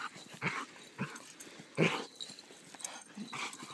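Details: Poodles playing together, giving short breathy, gruff bursts roughly every half second to second, with a louder rough burst near the middle and quieter scuffling between them; no voices in this stretch.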